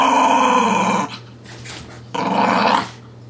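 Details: Young pet dog growling while tugging and playing with a dolphin pillow toy indoors; two sustained rumbling growls about a second each, separated by a quiet gap, with a person repeating "give me that".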